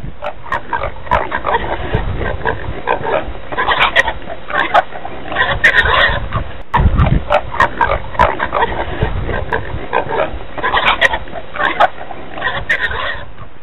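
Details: Red river hogs (Potamochoerus porcus) on an elephant trail in Lope park grunt and snuffle in a steady series of low, rough calls.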